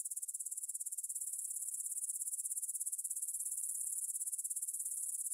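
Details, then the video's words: Grasshoppers stridulating in a meadow near the Svensky monastery in Bryansk, Russia, at 9pm on 6 September 2020, captured in stereo on a Tascam DR-44WL: a high, steady, rapidly pulsed chirring that gradually swells in loudness, with no other sounds. "Звук для сна: кузнечики на лугу – Grasshopper Sounds in the Field for a Quick Sleep"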